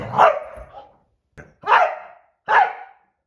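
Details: Great Dane barking: a drawn-out opening bark, a brief faint sound, then two short, loud, sharp barks about 0.8 seconds apart, each fading quickly, with quiet between them.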